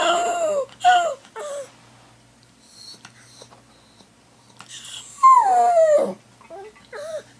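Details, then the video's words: Pet dog left at home while the owner's sister is away, crying indoors in a small room: short whimpers at first, then a louder falling howl near the end with snuffling breaths between calls. "When my sister is away... - the howling dog"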